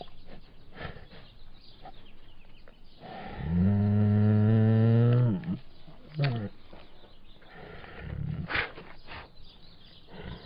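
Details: Bengal tiger giving a single long, deep, harmonic moan lasting about two seconds, steady then dropping at the end, with quieter rumbling and scattered shuffling noises before and after.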